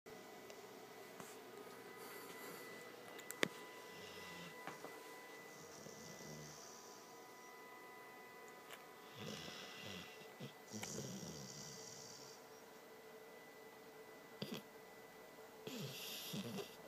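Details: Morena, a pet dog, snoring loudly while asleep indoors; soft, raspy, breathy snores come in slow bursts a few seconds apart against a quiet room hush, with a single sharp click near the start.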